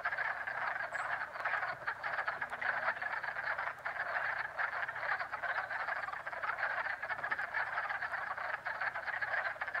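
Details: Springtime frog pond chorus in Jackson, New York: many frogs croaking at once in a steady, rattling wall of sound that barely pauses, with a faint brief high chirp near the start.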